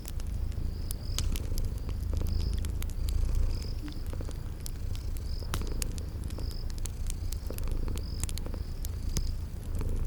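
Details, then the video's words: Cozy scene of sleeping kitties purring near a fireplace in a spring garden: a low, throbbing purr runs steadily, overlaid with frequent fire pops and regularly spaced high insect chirps. "Relax with Cute Sleeping Purring Kitties"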